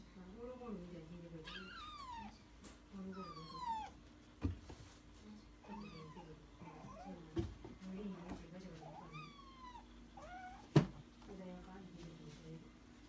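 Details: Kitten being petted on the forehead gives small-voiced meows, about four thin rising-then-falling cries spaced a couple of seconds apart, over a low purr, with quiet human murmuring and occasional sharp taps.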